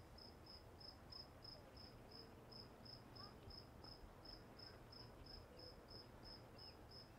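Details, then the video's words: Crickets calling at Walden Pond: a regular series of short, high-pitched chirps about three per second, continuous across the recording, over steady low background noise. "Sounds of Crickets at Walden Pond"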